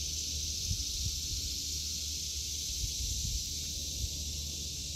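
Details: August 2023 garden chorus of cicadas: continuous shrill, hissing buzz held at an even level without pause, over low thumps of footsteps moving through the vegetable beds.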